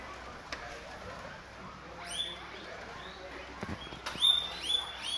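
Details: Several guinea pigs at breakfast eating guava; high, rising whistled squeals come in short bursts around the second and fourth seconds, over a steady background hiss with a few soft clicks.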